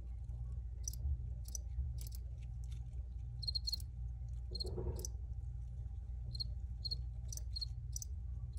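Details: Scattered high cricket chirps, some faint and some clearer, come at irregular intervals, with a brief soft broadband rustle midway and a constant low hum throughout.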